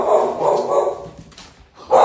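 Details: Pet dog in a house reacting to an arriving delivery, heard in the background: a quick run of rough, full barks over the first second, a quieter gap, then a fresh loud bark starting at the end.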